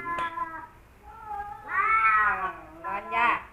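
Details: Two rival male domestic cats, Kaopat and Ronja, never friends, facing off: a short wavering yowl, then long drawn-out harmonic howls that rise and fall, ending in a louder strained wail.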